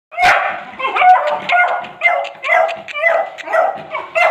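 A Beagle puppy gives high, yelping barks and whines in quick succession, about two a second, with no other sounds behind them.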